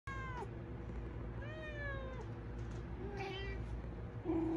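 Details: Domestic cat yelling for food indoors, giving drawn-out meows that fall in pitch, a few spaced a second or so apart, over a steady low hum.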